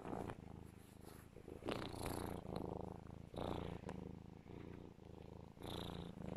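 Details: A pet serval cuddled in its owner's arms gives a loud, continuous purr, a low throbbing rumble that rises and falls with each breath, with brief higher rustling and breathy bursts between.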